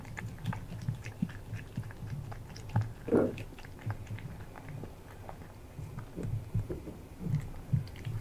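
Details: A male British Shorthair cat crunches crispy freeze-dried chicken breast from a new glass bowl in quick, irregular bites, close up in a quiet room.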